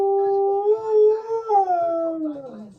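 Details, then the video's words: Pet Siberian Husky humming instead of howling properly, described as too lazy to sing: one sustained tonal hum, steady and slightly rising for about one and a half seconds, then gliding downward to a low finish. "My Husky Humming Weird Funny Sound Effects"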